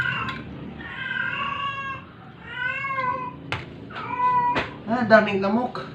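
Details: A struggling stray cat, sick and close to dying, cries out during force-feeding with long, level, drawn-out meows, then shorter bent ones. Sharp knocks break in between the cries, and a tense, wavering call closes the sequence.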